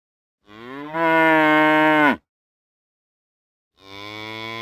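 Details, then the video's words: Real cow mooing: one long, steady, richly harmonic moo of about a second and a half that cuts off sharply, then a second moo begins after a silent gap. "Real Cow Sounds | Cows Mooing"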